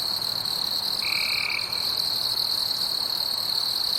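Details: Insects calling at night in a forest: a steady, high, unbroken buzzing drone with fainter overtones above it, and a single brief, clear lower whistle-like tone about one second in.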